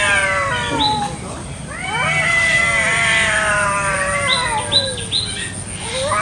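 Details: Free-roaming village cats brawling over territory in a garden in the morning; drawn-out wavering yowls slide up and down, with a few short clipped cries near the end.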